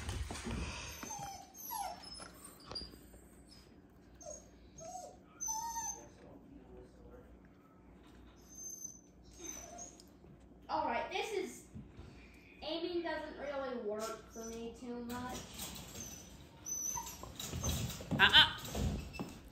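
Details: Young Border Basenji puppy, 16 weeks old, playing with his Basenji father indoors; thin whining whimpers and short yelps rise and fall in scattered bursts, with a woman's praising voice in between.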